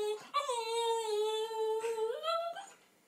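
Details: Alfie, a small, vocal and happy male Lhasa Apso pet dog, indoors and ready to go for a walk: one long, steady, tonal whining howl held for about two seconds, then a short upward lift before it fades out.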